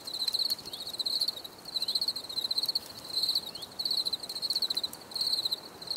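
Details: Crickets sing in a relaxing nature soundscape, high-pitched pulsed chirps grouped in bursts of about half a second, repeated roughly twice per second, with faint quieter callers behind.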